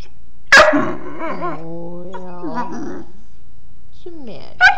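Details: Sleepy mastiff puppy talking funny: a sharp yip, then a long wavering moaning whine that rises, holds and bends down, a falling whimper, and a final yip; quiet indoors.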